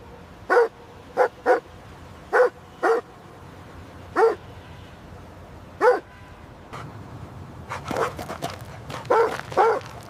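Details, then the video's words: Playful puppies running and play-fighting on fresh green grass let out sharp, bright yips, evenly spaced at first, then thickening into a busier, overlapping flurry of barks and squeaks toward the close. "Dog barking sounds"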